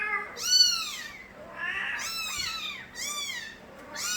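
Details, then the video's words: Nabi's young stray kittens in Korea give clear, loud, high meows, three strongly arched cries about a second apart with a lower wavering call between them, little other noise. "새끼고양이들의 우렁찬 울음소리"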